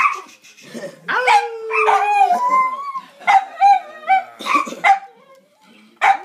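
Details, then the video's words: Multiple pet dogs howl in a chorus: a long falling wail, then rising and wavering tones, broken by short yips and barks, with a brief pause before a final sharp bark. "Howling Doggies"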